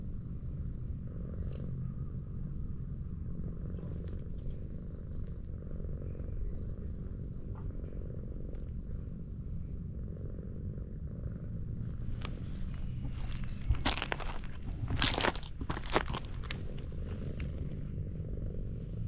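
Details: Sweet-natured tortoiseshell cat found lying on a hillside road, petted and purring in an even, deep rumble; sharp rustles of hand on fur break in near the end.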